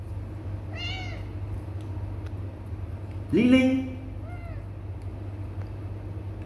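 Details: Kittens ignoring a person who keeps calling them; thin, high meows rise and fall early and again near the end, with one loud human call in between over a steady low hum.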